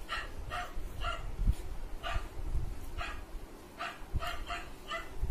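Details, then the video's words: Short, bright barks from a dog that a golden retriever puppy is reacting to, given singly and in close pairs about every half second, over a low rumbling background. "Puppy Reaction on Dog barking"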